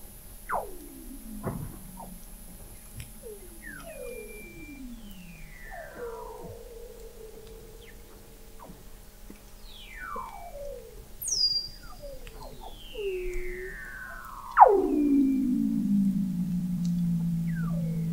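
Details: Weddell seals under the sea ice of McMurdo Sound, Antarctica, recorded in November 2017 by the McMurdo Oceanographic Observatory 21 m below the ice: many sliding, descending whistles and swoops overlap, with one loud, sudden downward sweep near the end.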